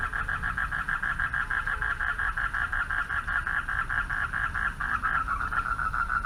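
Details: At night by a pond, male frogs call out for mates in a continuous rhythmic chorus of quick pulsed notes, throbbing in regular waves against faint low rumble.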